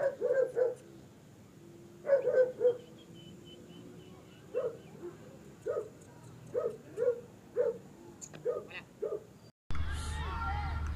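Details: Barking German Shepherd in Peshawar, Pakistan, giving quick clusters of two or three sharp woofs followed by single barks at irregular gaps, then an abrupt cut to louder, noisy background sound near the end.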